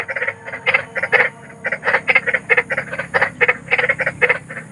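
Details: Large frogs at night giving quick, raspy croaks in uneven bursts, overlapping calls blending into a rattling chorus over a soft hiss.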